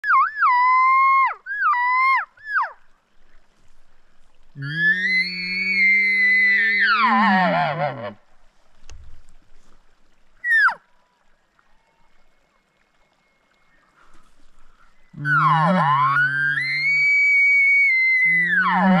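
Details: A bull elk in the Rocky Mountains, being worked in by elk calling, bugles a high whistled scream that rises, holds, then drops into low grunting tones.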